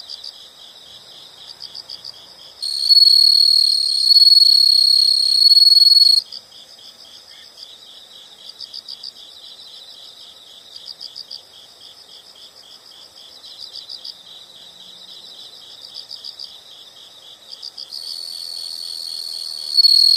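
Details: Insects calling in nature: steady soft chirps in regular pulsed bursts throughout, twice overlaid by a loud, shrill continuous trill that switches on abruptly for a few seconds and stops, returning near the end.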